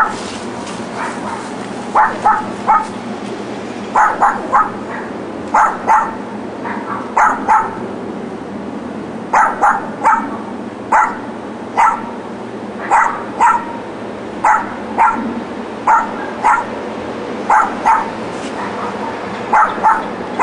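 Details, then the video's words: Neighbour's dogs left alone all day in a back yard, yapping on weekdays in 2006. Sharp, mid-pitched barks come in quick clusters of two to four roughly every second or two throughout, over a steady low background hum. "Barking Dogs"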